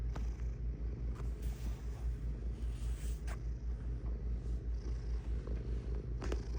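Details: Low, regular rumbling purr of a cat, pulsing about twice and a half per second, mixed with brief rustling and clicking noises.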